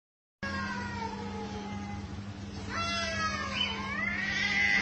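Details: Street cats fighting on rooftops and in alleys: long drawn-out harmonic yowls that sag slightly in pitch, then a higher, wavering, rising and falling howl over a steady low hum.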